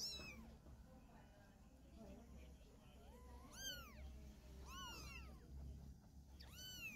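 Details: While a mother cat moves her kitten by carrying it in her mouth, shrill arched mews sound in short bursts, some doubled, with quieter gaps between them and a low rumbling background.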